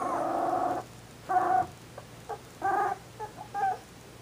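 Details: Shetland Sheepdog puppies born December 18, 2012, giving high, tonal whimpers: one long whine, then shorter repeated whimpers at uneven intervals over steady low background hum.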